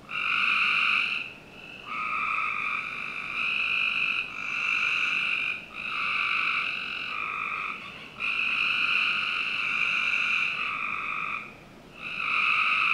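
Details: Summer-night frog chorus from a backyard in Northern Virginia, with long droning buzzy calls that overlap and run almost continuously, each lasting one to two seconds, broken by only a few brief gaps.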